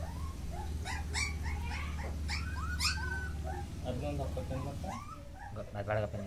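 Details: Several Mudhol Hound puppies in Karnataka's Bagalkot district whine and squeal almost nonstop in short arched notes that rise and fall. A man speaks in Kannada beneath them, with a steady low hum in the background.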